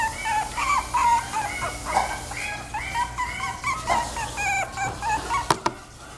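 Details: Chiweenie whimpering, a run of short, high whining cries that rise and fall and overlap one another, with a few sharp clicks near the end.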